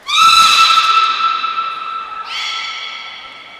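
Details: Beluga whistling at Port of Nagoya Public Aquarium on 18 February 2024, around feeding and play time: a loud, level tonal note rich in overtones holds for two seconds, then jumps abruptly to a higher pitch and fades.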